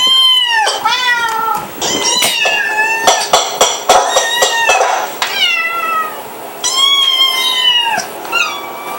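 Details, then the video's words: Repeated loud meowing from a domestic cat indoors: several long, wavering cries mixed with shorter chirpy mews and a few sharp clicks or taps, the calls coming in irregular bursts across nine seconds. "Kitty noises"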